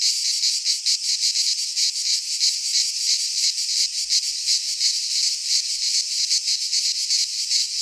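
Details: In midsummer, cicadas in a Greek pine wood keep up an intense high buzzing chorus, pulsing nearly three times a second, steady in volume, with a faint low thump near the middle.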